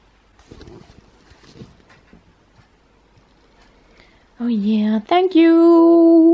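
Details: Husky wrestling playfully indoors: after quiet human talk, a sudden loud, harmonic whining yowl breaks out, cuts briefly, then returns as a sustained steady-pitched howl-like cry.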